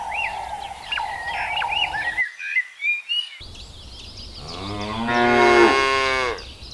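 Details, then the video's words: Cows searching for food on a lush green meadow in the countryside; a long, loud moo with rich stacked harmonics swells and falls in the final seconds, after a stretch of chirping birds and a short silent break. "The sound of cows mooing"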